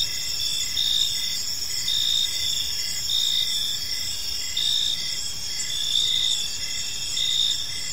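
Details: Crickets in a park at evening, a layered insect chorus: unbroken high buzzing tones plus short chirps repeated close to once a second, loudness swelling and easing slightly, distant low background noise.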